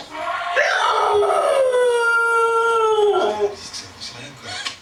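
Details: Pet dog howling at an elephant in a kitchen towel advert on TV: a long, sustained howl that rises, then slides slowly downward over about three seconds, with television sound faintly behind.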